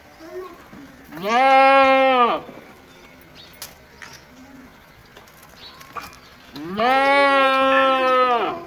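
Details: Goat giving two loud, quavering baa calls about five seconds apart, each roughly a second long with a bending start, over a quiet background of faint knocks and rustles.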